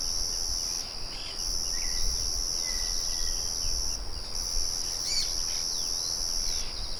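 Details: Crickets in the wild with birds and the murmur of a windmill: a steady, very high, shrill double-toned trill that drops out briefly near one, four and six-and-a-half seconds, with faint bird whistles and a low background rumble.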